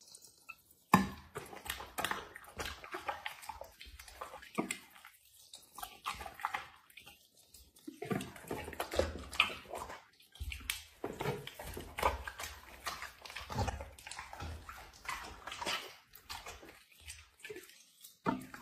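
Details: A dog eating food indoors. Irregular crunchy, wet chewing and smacking bursts come in clusters, with short quiet pauses between bites.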